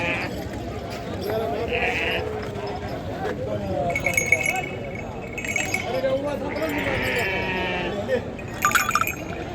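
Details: Sheep bleating at the Macherla sheep market in the Palnadu region, held every Saturday, where many animals are bought and sold; short wavering bleats rise over steady crowd chatter and background music.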